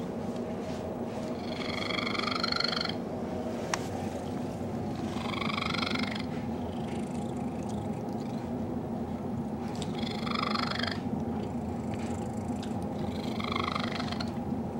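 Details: Cecil the cat snuggles with Betty, a dog he loves, producing a very strange purr. A constant low rumble carries four loud, buzzy, trilling bursts, each about a second long, repeating roughly every four seconds.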